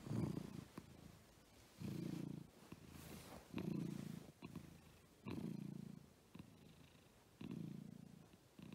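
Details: Purring from pet cats Agu, a female American Shorthair, and Chappy, a male lop-eared Scottish Fold; a low, buzzy rumble pulses with breathing, roughly every two seconds, soft clicks in the background.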